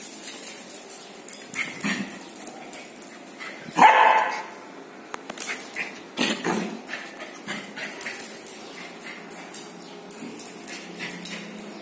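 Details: Lhasa Apso puppies, six months old, black and gray, at play following a bath; a single strong bark midway, preceded and followed by a few quieter yelps amid scuffling noises.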